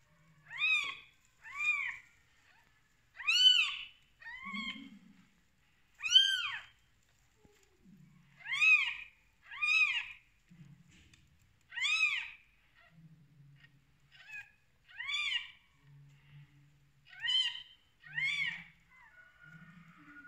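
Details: A mother cat's newborn kittens on their first day call in a steady run of around fifteen short, piercing mews across twenty seconds. Soft low rumbles sound between some calls.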